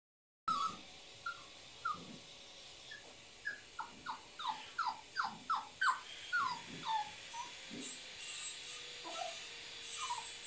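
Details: Nine-week-old female Cavapoo puppy whimpering: a run of short, high, thin squeaks that slide downward, repeated about every half second and growing busier in the middle, over faint room noise.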